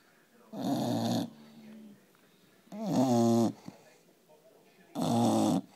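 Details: Sleeping four-month-old English Bulldog puppy snoring in a small room, three long rough snores about two seconds apart, each a buzzing rasp with strong low harmonics, faint wheezy breath between.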